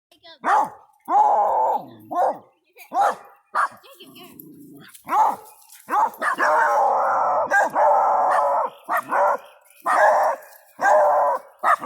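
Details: Several hound puppies and another dog bark and howl at a backhoe, giving loud, uneven barks mixed with drawn-out, wavering bays and howls.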